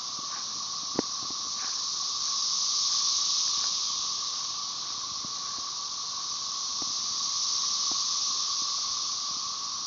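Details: Dense chorus of Magicicada tredecassini (Brood XIX) with M. tredecim in the background, Tyler Bend Park near Marshall, Arkansas, 30 May 2011: a continuous high buzz that slowly swells and fades; Cassin's 17-year cicada.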